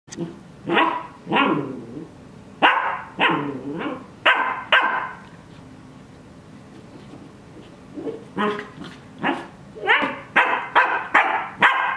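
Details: Cardigan Welsh Corgi puppy, twelve weeks old, playing in a dog bed: bursts of sharp, high puppy barks and yaps in quick clusters, a quiet gap mid-way, then a rapid run of barks toward the end.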